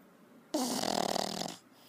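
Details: Pug asleep, giving a single loud, harsh, fluttering snore lasting about one second, a vibrating rattle that fades into quiet breathing.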